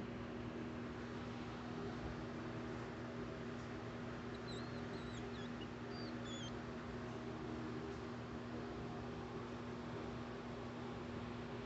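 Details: Ten-day-old baby hedgehog, one of a litter, giving thin, very high squeaks: a few short whistled notes with quick pitch bends, bunched mid-clip, over a steady low electrical hum.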